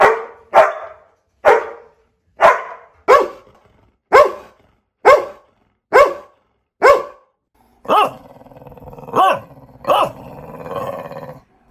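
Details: A run of about ten crisp, evenly spaced puppy barks, each a sharp yap, followed by three longer, rougher barks with a low growling undertone and a background rumble.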